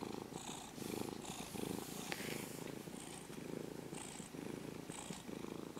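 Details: A brown-and-white ex-stray kitten purrs while being petted, its low pulsing rumble rising and falling in breath-length waves, accompanied by faint rustles and scratching sounds.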